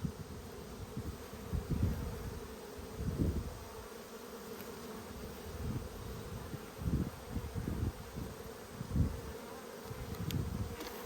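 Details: Honey bees during an inspection of a strong Australian hive in a dearth, February 2022; a continuous deep hum punctuated by short louder surges every second or two, and faint clicks of handling.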